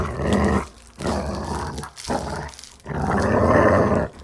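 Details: Dog growling while playing: loud, harsh, throaty growls, a short burst followed by two longer rumbling stretches, the last one sustained for over a second.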